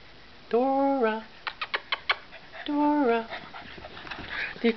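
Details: Dora, a pit bull and sister of Bennie, after a bout of play-fighting: two long, drawn-out tonal whines, each holding steady then bending slightly, with short sharp yips between them and a woman's voice nearby.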